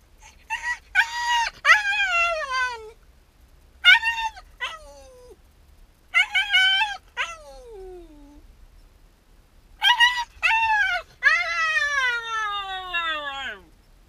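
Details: Shiba Inu dog left alone at home while its owner steps out on a short errand, crying in long, tonal whines and howl-like wails that bend upward then slide down, in several bursts with pauses, ending in one long falling cry.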